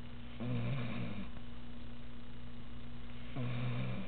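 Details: Beau, a puppy, snoring during a nap indoors: two low, rough, droning snores, each about a second long, separated by a quiet pause of roughly two seconds.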